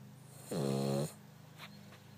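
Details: A sleeping Cavalier King Charles Spaniel, snoring at about half her usual volume, gives a single deep, rumbling snore lasting about half a second.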